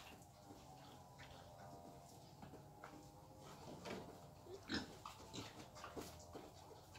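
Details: Wild boar taken out for mating, its quiet, rough grunts scattered unevenly through the middle and end of the recording over a steady low hum and faint clicks.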